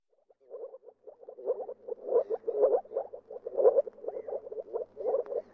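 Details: Moor frog starting with a few quiet pulses, then building into a fast, bubbling chain of low croaks that swell and ebb.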